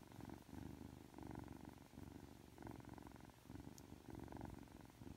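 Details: Three-month-old Ragdoll kitten Aki, affectionate on waking, purrs in a clear low drone that pulses with each breath, beating roughly every second, and one tiny high tick near the end.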